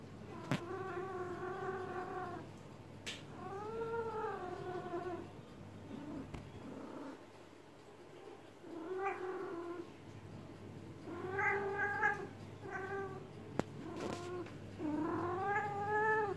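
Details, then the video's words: Female-in-heat style yowling from a domestic cat being massaged: a series of wavering, rising-and-falling moans repeated at irregular intervals, with a few sharp clicks and a lull midway. "KIZGINLIĞI GELEN KEDİ YE MASAJ YAPMAK"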